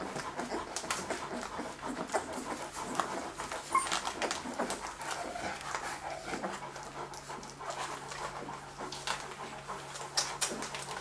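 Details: Hungarian-bred Leonberger puppies, F litter, October 2011, giving steady breathy panting with occasional faint squeaks, recorded indoors.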